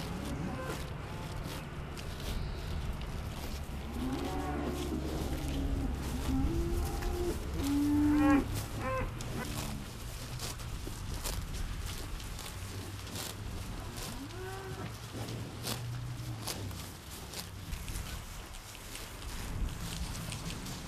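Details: Holstein-Friesian dairy cattle in West-Friesland, the Netherlands, lowing in a barn: several drawn-out moos with rising and falling harmonics, one louder call near the middle, over a constant low rumble of background noise.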